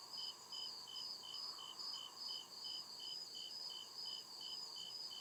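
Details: Crickets in the deep woods at night, giving clearly separated shrill chirps about three per second, evenly spaced and high-pitched, over a steady insect drone and a low murmuring background.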